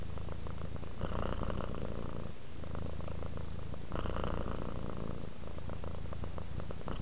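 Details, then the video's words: Pet cat purring as it relaxes, close low drone with rhythmic flutter, swelling on each breath about every three seconds. "Cat ASMR, Sleep while Purring Cat Relaxes"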